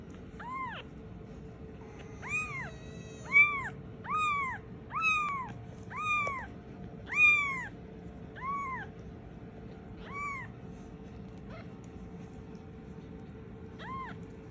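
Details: A black Scottish Fold kitten gives high, arching meows again and again, calling for its mother.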